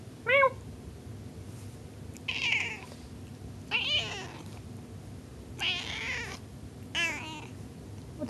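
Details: Pet cat Sparky meows indoors: a clear short cry, then four louder, harsher, drawn-out meows spaced about a second or more apart, with room hum beneath.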